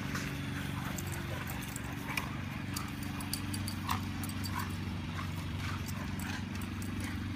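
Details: Golden Retriever Marta growling while playfully dominating Lyesha, an Irish Wolfhound; a low, continuous rumbling growl runs throughout, with scattered clicks and scuffling from the play.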